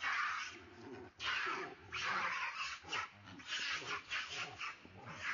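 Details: A Hanuman monkey, chased by two other monkeys, screams very loudly in harsh, shrill bursts, crying as if calling for help.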